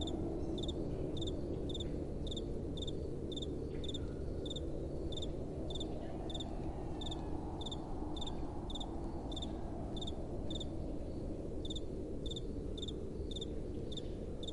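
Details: Night-time cricket chorus: crisp high chirps in quick pairs, evenly spaced roughly twice a second across the whole stretch, set against a steady low wind rumble.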